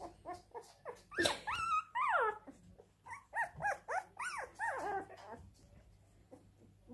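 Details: Crying Siberian Husky producing a rapid series of arching, bending whines and yelps, several per second, some swooping high then dropping, louder in the first half and trailing off into quieter whimpers.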